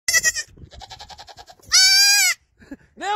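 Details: A baby goat held in a person's arms gives loud, nasal bleats with a strong harmonic waver each time it is hugged and kissed, between kissing sounds and the person's laughter.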